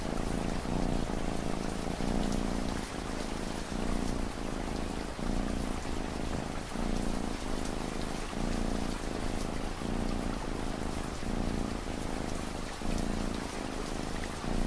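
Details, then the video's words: Steady cat purr set into ambient rain, a deep buzzing hum pulsing in regular in-and-out breaths about every second, partly masked by a dense hiss of falling rain and scattered drop sounds. "Cat Purring Sound"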